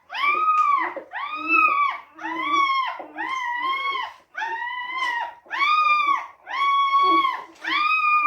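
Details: Newborn Teddy Retriever puppies crying indoors during whelping, soon after birth: harmonic whimpers that arch up and fall, repeated about once a second in a steady series of eight calls.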